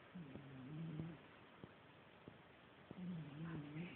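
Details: Snoring of Mira, an elderly she-cat sleeping: two slow, low, buzzy breaths with a gently wavering tone, each lasting about a second, separated by quiet pauses with soft ticking clicks.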